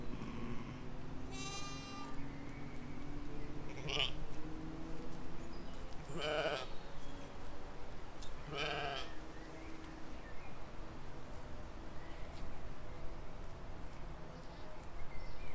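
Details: Sheep and lambs grazing in a field in spring 2020; four separate bleats spaced a few seconds apart, each a wavering, buzzy baa with a trembling quality, over a steady low outdoor rumble.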